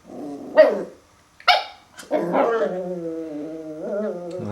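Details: Confronting its reflection in a mirror for the first time, a puppy mixes two sharp barks with long, wavering growls that rise and dip in pitch, ending in a sustained rumbling whine-growl.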